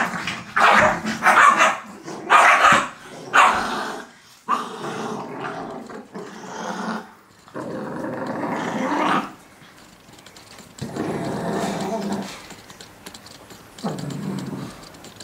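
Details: Playful Shih Tzu puppies in a box trade rough growls and scattered yappy barks, some noisy scuffling tussle sounds, then longer low growling stretches toward the end.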